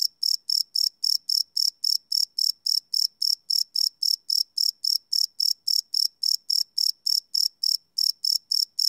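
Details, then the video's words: Cricket chirping at night, recorded live with a Sony PCM D100 field recorder: a steady string of high, bright chirps pulsing about three to four times per second, closely spaced and even, with no other sounds. "Cricket Chirp Sound - Cricket Sounds at Night"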